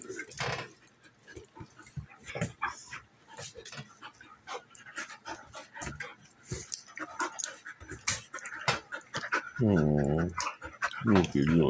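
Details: Play fight between two female dogs, a German Shepherd nearly a year old and a Golden Retriever mix: quick rough growls, snorts and panting. Near the end, a sung or musical tone with wavering harmonics overlaps them.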